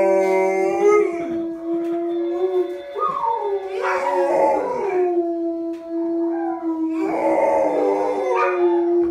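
Golden Retrievers howl in long, steady, mournful tones, with rougher wavering bursts between the held notes.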